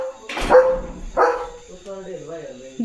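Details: German Shepherd Leo in his field, two strong barks about a second apart, followed by people speaking over a faint background whine.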